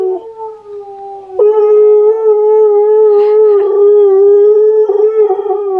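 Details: Husky singing indoors, with Key reacting to Steel the husky's singing: one long, steady, tonal howl held at an even pitch for about four seconds after a brief opening note, rich in overtones, with faint scuffling beneath.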